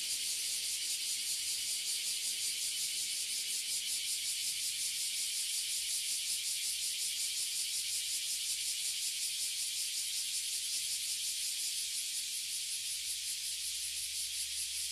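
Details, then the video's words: Many Oily Cicadas and Bear Cicadas (Abura Zemi and Kuma Zemi) fill a tree in Toyohashi City, Japan, producing a dense, continuous high-pitched buzz that holds steady and loud throughout, with a slight pulsing texture. "Cicada in Japan - Toyohashi City"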